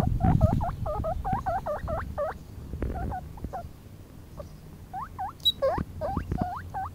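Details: Loud squeaking from Mini-Maus, a 4-week-old baby guinea pig standing on a meadow for her first time outdoors; bursts of quick rising-falling whistled squeaks separated by a quieter pause, with low rumbling handling noise beneath.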